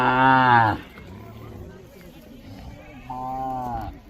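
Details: Mysore/Khillar calves tethered in a row in Maharashtra, India: a loud, harmonic-rich moo lasting under a second, then a quieter, shorter moo about two seconds later, with faint background murmur between.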